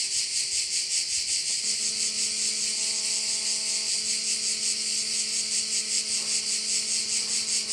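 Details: High, hissing cricket chorus at a Korčula bay, beating in regular pulses roughly every half second. From the second second onward a low, steady humming tone with stacked overtones drones beneath it.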